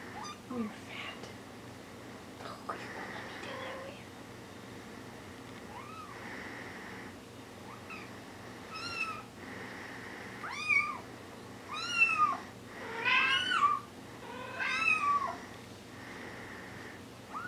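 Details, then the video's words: Four-week-old Bengal kittens mewing indoors: thin, high-pitched mews that rise and fall, scattered at first, then coming quickly and overlapping toward the end, with a person speaking quietly and a recurring soft hiss behind. "bengal kittens 4 weeks old"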